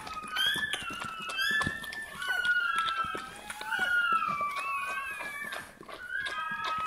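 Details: High, wavering squeaks and thin cries from a Bernese Mountain Dog puppy at birth, rising and falling in short bursts, while a woman's gentle French voice murmurs nearby indoors.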